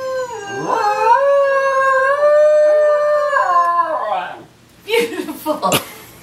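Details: Dog singing: a long, wavering, tonal howl lasting about four seconds with rich harmonics, held then sliding down, followed by a few short yips and sniffing noises.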